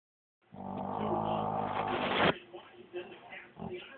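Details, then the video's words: Dog growling indoors in one sustained, harmonic-rich rumble of about two seconds that cuts off abruptly, followed by quieter rustling and faint background radio talk. "Funny growling dog"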